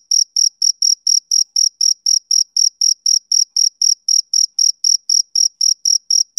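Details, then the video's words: Male cricket on a summer evening, chirping in a steady, rhythmic run of short high pulses, about four chirps each second, evenly spaced, with nothing else heard behind it. "Cricket Chirping Sound Effect"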